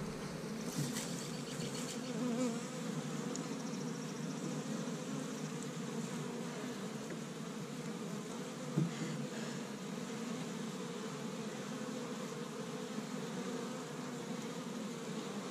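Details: An established honey bee hive in Michigan on the first warm day of spring, workers gathering tree-bud pollen; an even, sustained hum of many bees with steady low droning bands, occasional sharper buzzes of individuals passing close.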